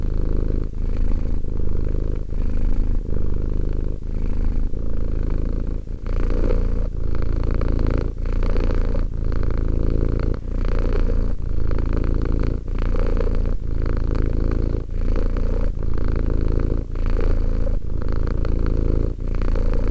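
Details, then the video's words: Two-year-old domestic cat purring steadily, a continuous low rumbling throb broken by brief breath pauses about every second, with the rhythm of inhaling and exhaling. "One hour of quality cat purring."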